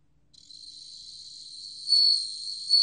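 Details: Bell cricket song, 2020, from the National Institute of Biological Resources: a sustained high, pure, tinkling tone that grows gradually, then breaks into two loud bell-like accents nearly a second apart, with nothing else audible.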